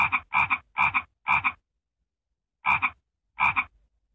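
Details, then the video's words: Raspy, nasal frog croaks with a doubled pulse in each, a quick series of four, a silence of about a second, then two more spaced apart. "Annoying frog sound??"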